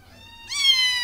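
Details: Domestic cat meows once, a clear, high, sustained cry that starts abruptly and holds steady, slowly falling in pitch. Soft room hum and nearby conversation.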